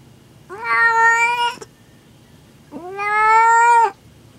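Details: Female domestic cat in labour with her first litter, indoors in a room she kept returning to; two long, steady, drawn-out meows about a second each, separated by a short silence, with faint background hiss.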